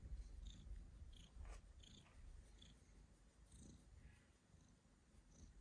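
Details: Domestic cat purring, with coughing while it purrs: a steady deep rumbling purr, rhythmically pulsing, with faint high ticks and a couple of short breathy bursts.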